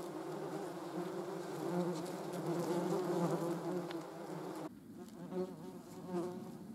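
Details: A European hornet gives a low, steady droning hum, with a faint second buzzing insect nearby, possibly one of the German wasps (Vespula germanica) present.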